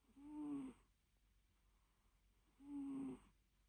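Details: Sleeping cat gives two soft, drawn-out wheezy snores with a thin whistled tone, about two and a half seconds apart, in an otherwise quiet room with a faint hum.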